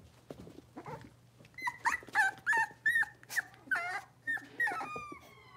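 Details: Young blenheim Cavalier King Charles Spaniels from a five-pup litter settling into a bigger indoor pen. A steady run of sharp, high yapping barks, several per second, some bending downward at the end, over a faint electrical hum.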